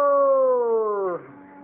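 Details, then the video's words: Puppy imitating people growling, described as sounding like a walrus: one sustained, tonal, slightly wavering note that slowly falls in pitch for about a second, then breaks into a rougher, quieter tail. "Adorable puppy growl"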